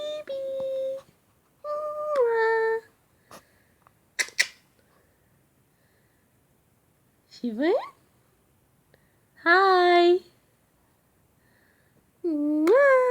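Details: Shih Tzu pup named Shvan whining indoors when called "baby" or kissed: tonal harmonic whines, one sweeping upward, another bending down, in spaced bursts alongside a person's speech and soft clicks.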